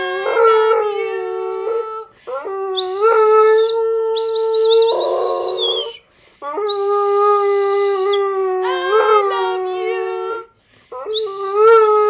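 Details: Sustained, fairly steady howls from Rex the pet dog, repeated in long bouts separated by brief silences, with a shrill high tone sounding above parts of them.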